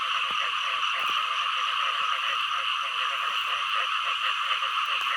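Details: Frogs, including green frogs, calling together in a dense chorus: a steady pulsing trill of rapid repeated notes that runs without pause, with a faint crackle of clicks underneath.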